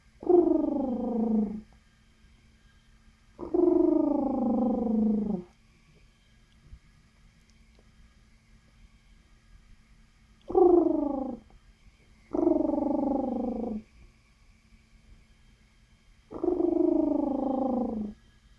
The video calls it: Cute Guinea Pig Making Funny Sounds